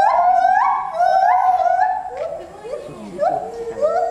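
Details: Asahiyama Zoo gibbons, 24 July 2014, singing 14 m above ground: clear upward-sliding hoots repeated about three per second, each note climbing in pitch before the phrase breaks into lower, wavering notes and a final rising swoop.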